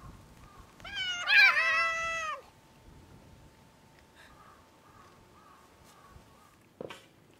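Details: Free-roaming hungry cat on Japan's Cat Island, gathered on the front steps of the island's only store while being fed; one loud drawn-out meow with a bending, wavering pitch lasting over a second, then quiet background with a soft click near the end.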